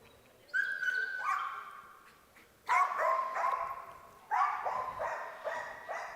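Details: Domestic dogs at a protection and obedience trial at the European Dog Show 2023, MCH Messecenter Herning, Denmark, very excited before the bite work with a hidden helper; three loud bursts of high, harmonic, stepped-down yelping barks about two seconds apart.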